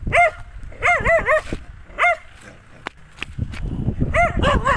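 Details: Dogs barking at a person who wonders why: short clipped barks, single and in quick bursts of three to four, with pauses of about a second, plus thumps and scuffling noise toward the end.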